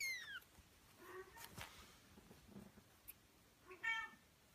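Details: Male Scottish Fold kitten: a short, high, falling mew at the start, a quieter harmonic call near the end, with faint indoor handling noises in between.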